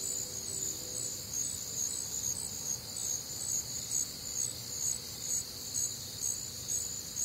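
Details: Night chorus of crickets recorded on a humid, warm Midwestern summer evening; bright, shrill chirping bands beat rhythmically about twice a second, fairly regular, over quiet background hiss.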